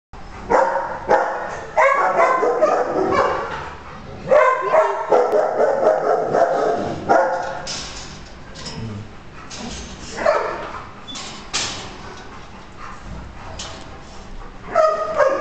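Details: Coonhound available for adoption at a shelter, barking in loud, harmonic-rich bursts repeated irregularly over about fifteen seconds, with brief pauses between volleys.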